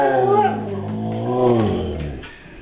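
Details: A male Siberian Husky gives a drawn-out, wavering 'talking' vocalization that rises and bends before trailing off; his owner thinks he was saying he wasn't going out yet.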